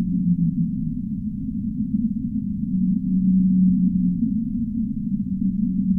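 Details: Singing humpback whale: a couple of sustained low tones, the longest held for about a second and a half mid-clip, set against a continuous deep wash of noise.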